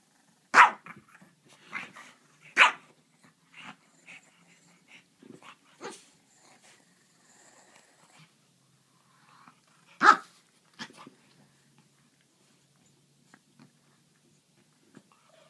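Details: French bulldog and griffon at play, sharp short barks and yaps scattered irregularly among softer grunts and rustling, two loud barks at the start and another around ten seconds, quiet gaps in between.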